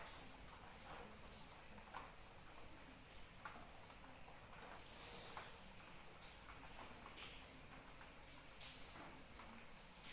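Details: Continuous high cricket trill, evenly pulsed and unwavering, heard through steady light rainfall with soft ticking drops.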